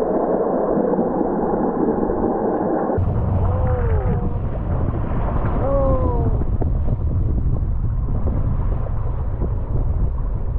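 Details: Underwater off northwest Norway in November 2021, where herring draw orcas: after low roaring water and engine noise, orcas give bright, arched squeals that bend upward then fall, in brief bursts over steady rumble.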